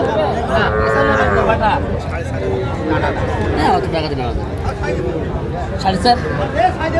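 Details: Small bull and heifer calves at a Faridpur cattle market in Bangladesh on 8 February, bought by a farmer: wavering, rising-and-falling moos early on, partly buried under busy market talk and haggling.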